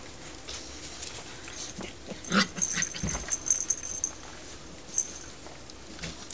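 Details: Australian Shepherd puppies playing in a garden among their family members; a burst of short yelps and whimpering squeals midway, with scuffling and rustling around them and a faint high thin tone in the background.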